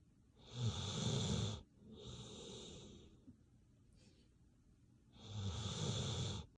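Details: Bailey, a dog, snoring while asleep: three drawn-out, wheezy snores of about a second each, raspy and hissing with a low rumble underneath, separated by quiet breathing pauses.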